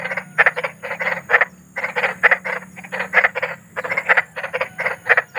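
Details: Large frogs croaking outdoors at night, shared as a lullaby for restless children: clustered harsh croaks, roughly one burst per second made of rapid pulses, alternating callers, over a soft low hum.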